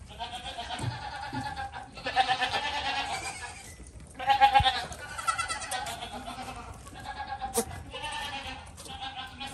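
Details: Baby goat calling with four or five separate shaky, vibrato bleats, each about a second long, spaced by quieter pauses, with a faint click and low rumble between calls.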